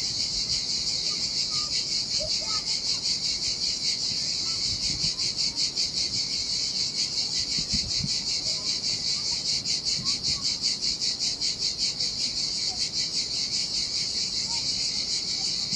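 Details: Sardinian beach cicadas in summer heat, chorusing by the turquoise sea: a steady shrill buzzing wall, throbbing evenly about two to three times a second throughout, with soft low surf rumble beneath.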